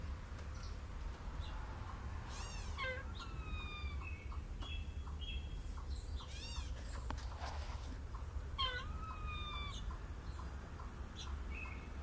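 A squirrel gives high, squeaky chirps and drawn-out falling whines over a steady low rumble.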